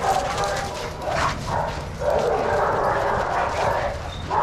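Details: Shelter dogs at play in an Arizona yard at Pima Animal Care Center; dense, overlapping barking swells and fades in short waves while people's voices murmur in the background.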